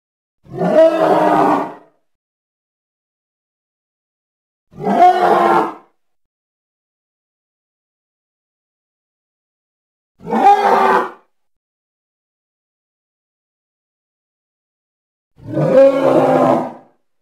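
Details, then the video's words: Hippo of the Congo calling in four short, harsh roaring bursts, each about a second long, spaced roughly five seconds apart with silence between. "Hippo (Congo) Sounds"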